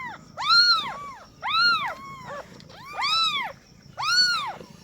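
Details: Just-born kittens from a mother cat's first litter give four loud, clear mews, each a brief rising-and-falling wail about a second apart. Fainter overlapping cries from a second kitten sit between them.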